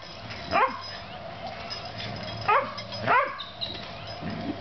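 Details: Puppies Oreo and Brutus playing together, giving three short, high, sharply rising yelps, the first alone, then two close together about half a second apart, over a faint steady hiss.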